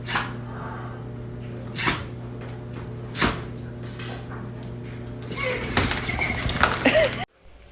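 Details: Dog in a sneezing fit indoors: several short, sharp, explosive sneezes spaced one to two seconds apart, then rustling and handling noise with a person's voice near the end.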